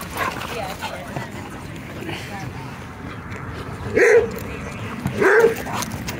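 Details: Dogs playing a little rough together at a dog park at sunset, among them German Shepherd, Golden Retriever, Australian Shepherd and Rhodesian Ridgeback; after quiet background chatter, two loud sharp barks come about a second apart near the end.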